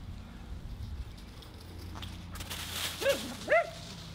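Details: Nora, a Husky playing in her leaf pile, gives two short, sharp barks close together near the end, after a stretch of crackling leaf rustle and low background rumble.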